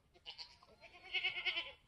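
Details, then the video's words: Third kid born on a homestead on March 13, 2021, an F4 Mini Alpine buckling, black with white frosted ears and nose, calls with two thin, trembling bleats, a brief one followed by a longer, pulsing cry. "3rd baby goat born on homestead today"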